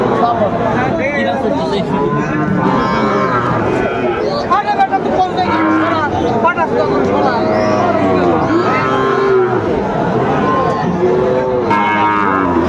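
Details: Many Sahiwal bulls at a crowded cattle market in Cumilla, Bangladesh, on 19 September 2024: a dense chorus of overlapping moos, some short and some drawn out, rising and falling nonstop over a steady hum of people.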